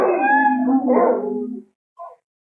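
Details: A wolf at night in the forest gives one falling, wavering howl of about a second and a half. A brief, softer note follows after a short pause, then silence.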